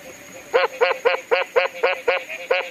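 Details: A Common Mexican tree frog (Mexican smilisca, Smilisca baudinii) calls with a run of short, nasal, quack-like notes, about four per second.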